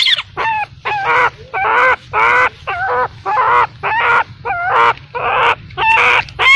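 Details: Baby macaque abandoned by its mother gives loud, rough screaming cries in a steady series, roughly two per second. Each cry is harsh yet tonal with a wavering pitch, over a low background hum.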